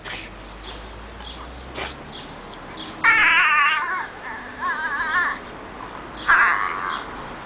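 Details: A male French Bulldog gives high, wavering, baby-like whines in three short bursts while being played with.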